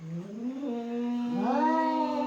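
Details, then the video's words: Fighting cats give a drawn-out harmonic yowl that starts low, climbs in steps, then swoops upward into a loud, sustained, whining wail. "Cat fighting videos"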